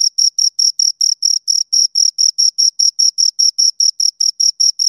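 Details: A pair of crickets gives clean, evenly spaced chirps, about four to five sharp high pulses each second. The pattern does not vary, and the pulses are clearly separated by short gaps of silence.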